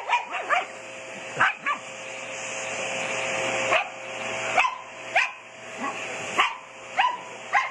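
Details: Shih Tzu dog excited by a running vacuum cleaner, barking in short sharp yaps roughly every half to one second over the steady whine of the vacuum motor.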